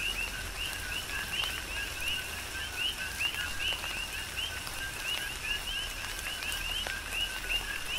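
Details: Rhythmic chorus of coqui frogs in tropical rain, Big Island, Hawaii; dense overlapping 'co-qui' calls, each a short lower note followed by an upswept whistle, continuous over falling drops and broadband rain noise.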